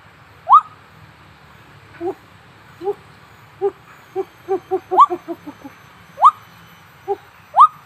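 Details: A baby Kalaweit gibbon gives loud rising whoops between bursts of quicker, lower hooting notes.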